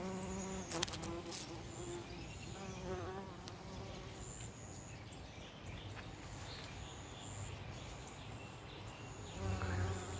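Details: A bumblebee in a vegetable garden moves from one carrot flower to another, its low, droning buzz coming and going as it flies close by.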